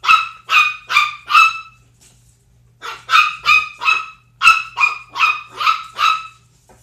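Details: Domestic pitbull Zelda and a 10-week-old Chihuahua puppy named Sumac: four rapid shrill barks, a silence of about a second, then ten more high yaps in a fast burst. Quiet room with a soft low hum.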